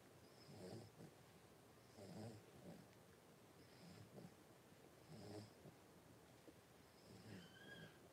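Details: A litter of five Blenheim Cavalier King Charles Spaniel puppies, born at New Year, lies with mother Paris in a home puppy pen on 26 January 2023. Low, raspy breaths come about every one and a half seconds, ending with a brief thin whine.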